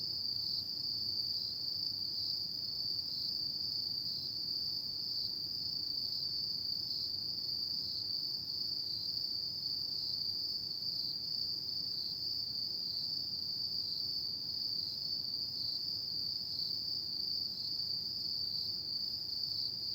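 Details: Relaxing nighttime sound of autumn insects: one constant high, ringing trill runs without a break for twenty seconds, with a quiet low hum underneath.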